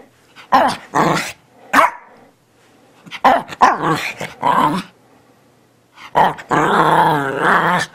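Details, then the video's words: A "talking" Teddy Bear Shih Tzu Bichon Frise gives clipped gruff woofs, then a rapid chattering run, and ends on a sustained, wobbling moan-like vocal lasting over a second. "Talking Dog! CUTE Funny Teddy Bear Shih tzu Bichon Frise talks! WOOF!"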